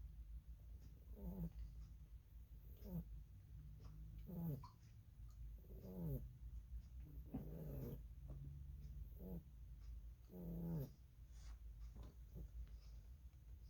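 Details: Lily, a pet rabbit, snoring as she sleeps: short, low, throaty snorts with rough harmonics come roughly every one and a half seconds, some drawn out, over a steady low indoor hum.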